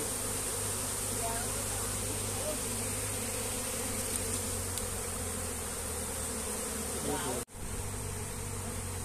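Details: Honey bees hum continuously around a comb being shifted by hand while someone tries to catch them. The low buzzing drone holds throughout, with a short dropout near the end.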